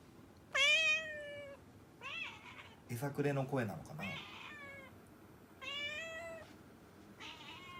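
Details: Mami, a pet cat whose cry is called funny and cute, meowing indoors: about five drawn-out, slightly wavering high meows over eight seconds, with a brief human voice in the middle.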